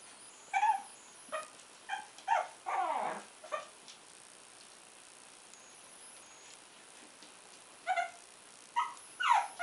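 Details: Shih Tzu puppy Puck, two months old, lets out short high yips and a longer sliding whine, with pauses between bursts, in a quiet room.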